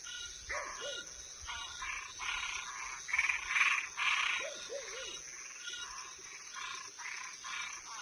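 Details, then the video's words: Toads and tree frogs calling at night: short harsh croaking bursts repeated about twice a second in an irregular chorus, with a few lower curving notes and a steady high insect-like hum throughout. "Som de animais noturno Sapo e perereca"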